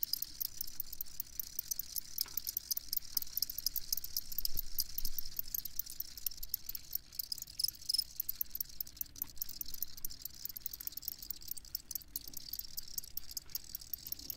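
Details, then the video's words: Crickets calling at a steady chorus for sleep listening, high thin chirps in quick irregular pulses, about two hundred a minute, with a quiet low hum underneath. "Crickets Chirping"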